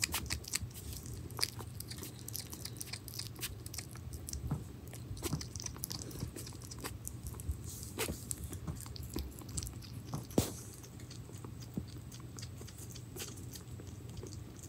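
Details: Pirozhok, a pet hedgehog, eating minced meat in a small room; soft, irregular smacking and crunching clicks over a constant low electrical hum, one sharper click near ten seconds.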